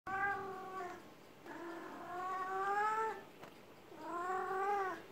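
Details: Domestic cat in heat being massaged indoors, giving three long, drawn-out wavering wails, each around a second or more, separated by short pauses, rich and nasal with a gentle rise and fall in pitch.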